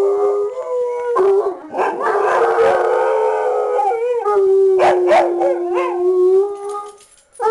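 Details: Howling hound dog alongside a heeler sidekick, giving a sustained mournful howl that dips and rises, broken by raspy, choppy bursts near the end before a final short rise.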